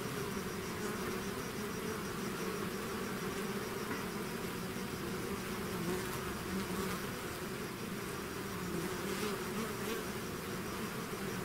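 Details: Swarm of bees out of its hive, a dense continuous buzzing drone with wavering hum bands, steady in loudness throughout, no other sounds standing out.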